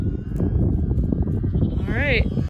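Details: Lambs being herded in for the night by Border Collies: a single short, quavering bleat near the end, wavering up and down, over low rumbling movement and handling noise.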